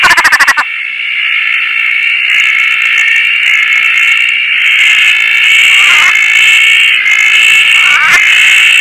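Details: Roth's tree frogs calling in Koah on a rainy night from a tarp among many frogs; after an opening rattle of rapid clicks, a continuous shrill ringing chorus builds steadily louder.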